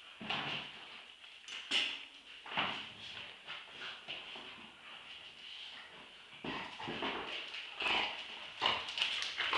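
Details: Two Staffordshire Bull Terriers, Roxy aged two years and Ralph aged eight months, in a tug-of-war play fight; rough, noisy growling bursts come unevenly about once a second, mixed with scuffling and brief whiny sounds.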